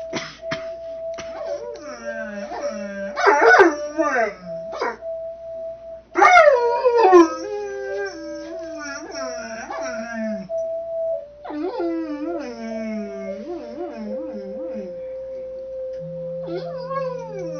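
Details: Mastiff howling and 'singing' in a messy children's room alongside 'Mary had a little lamb', with wavering, sliding drawn-out howls rising and falling over a steady held musical tone and some human voice.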